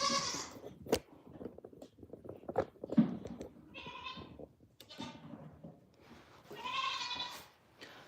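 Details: Domestic goats bleating as does are brought in to be milked so the kids can be bottle fed; several wavering, harmonic bleats, one around four seconds and a longer one near seven seconds, with clattering and thumps between.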